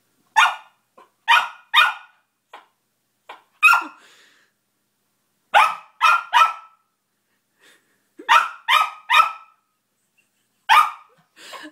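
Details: Domestic dog indoors barking at its new squeaky toy, trying to figure out how it works: short sharp barks in quick bursts of two or three, some softer yips between, about a dozen barks in all with brief quiet gaps.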